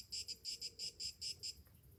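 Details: Morning chorus of summer cicadas, short buzzing pulses in quick pairs, high and shrill, fading out near the end against a quiet low background.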